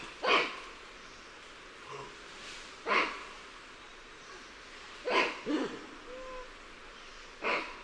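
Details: Lion-tailed and bonnet macaques giving alarm calls, recorded at varying perspectives: short, harsh barks at irregular intervals of roughly two seconds, some fainter and more distant, with a quiet hiss between them.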